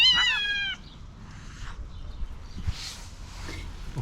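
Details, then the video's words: Pet cat angry at another cat lets out one short, sharp meow at the very start, then only quiet rustling and faint knocks follow. "Crazy cat got angry at the other cat"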